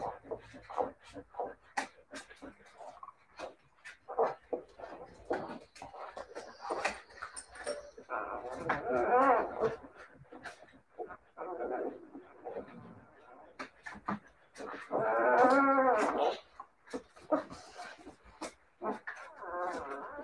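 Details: Siberian Husky puppies whimpering and yelping in short, uneven bursts, with some longer wavering whines, indoors in a small room, mixed with human voices.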